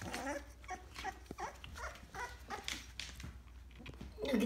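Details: American Bully puppies indoors in Chesapeake, Virginia, giving short soft whimpers among scattered clicks and scuffling, ending in a clearer high yelp near the close.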